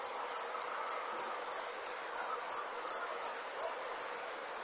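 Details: Nighttime summer insect in a rural setting, chirping steadily: twelve evenly spaced bright, high clicks roughly three per second, over a constant faint high whine.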